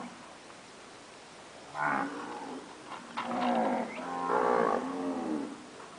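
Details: Registered Nelore cows, mothers after calving, give a series of short moos, the second and third longer and more tonal, with brief quiet gaps between calls.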